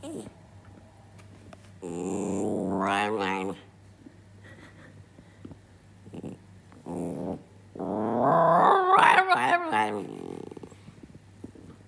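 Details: A male Italian Greyhound, rarely barking but fond of howling, gives two wavering, rising howls with a warbling quality, separated by a pause.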